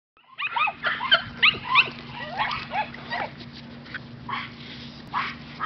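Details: Five-week-old Miniature Australian Shepherd puppies from one litter give a rapid series of short, high, whiny yips and squeaks that rise and fall. The calls come in quick bursts at first, then grow sparser, over a steady low hum.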